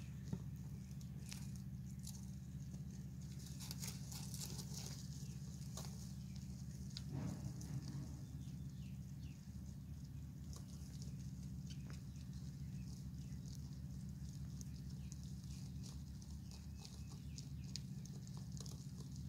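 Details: Wild baby European rabbits in Michigan, rescued from a burrow uncovered by bulldozer work and kept in a barn, make soft scratching and rustling sounds in hay while grooming and bonding with each other.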